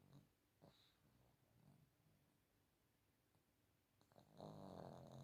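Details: A 15-year-old female dog snoring while sleeping comfortably in her bed indoors; faint rhythmic breathy snores, then a louder, broader rasping snore near the end with a high hissy edge.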